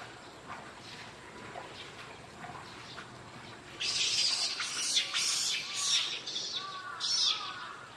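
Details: Monkeys, with a baby rushing to its mother on hearing a scream; faint chirping for four seconds, then loud, harsh, high screeches in repeated bursts lasting about four seconds, with thin bird chirps mixed in.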